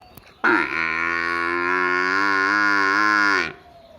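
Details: A water buffalo calf in a village gives one long, steady, nasal moo lasting about three seconds.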